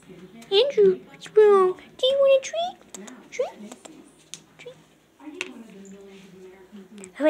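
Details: Cats meowing at their owner: a run of drawn-out, rising-then-falling meows in the first three seconds, followed by shorter chirpy calls, then a lower steady voice-like sound near the end.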